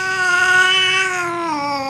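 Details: Missy, an F2 Asian Leopard Cat hybrid, calls from on top of a refrigerator indoors: one drawn-out, steady, nasal meow with rich harmonics that sags lower near its end.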